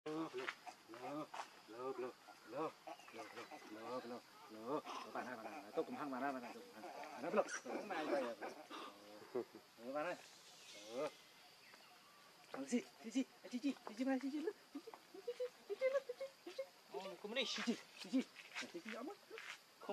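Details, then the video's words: Hungry baby monkey Lucie begging mother Catrina for milk: dense run of wavering, harmonic cries and squeals, rising and falling quickly, repeated almost without pause, with short quieter gaps and some clicking noise. "Lucie Beg Milk Catrina Because She Very Hungry Milk"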